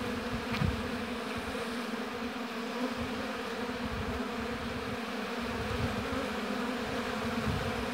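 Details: Honey bees buzzing at a hive in an apiary, a dense steady hum of many bees with a low droning tone and fluctuating lower rumble, continuous throughout with no other clear sounds.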